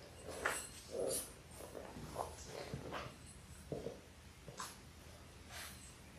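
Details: Labrador Retriever puppies, six littermates in their sixth week, born January 18, 2022, indoors on a live puppy cam on February 28; brief soft whimpering squeaks scattered irregularly, a few faint snuffles between them.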